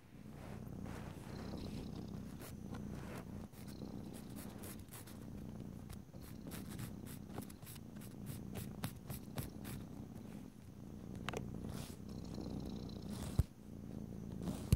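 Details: Purring domestic cat indoors while nails are filed, a steady low rumble beneath frequent sharp clicks and scratchy strokes, with a louder tap near the end.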